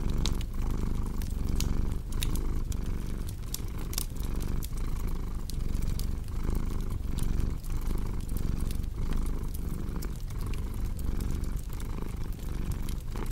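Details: Deep, continuous cat purr with rhythmic breathing pulses under a bed of crisp fireplace crackles and snaps.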